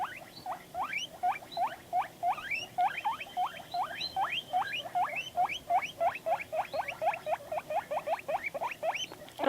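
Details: A pet guinea pig vocalizing in response to videos: a long, rapid series of short, rising squeaky chirps, roughly three to four per second, steady and evenly loud throughout.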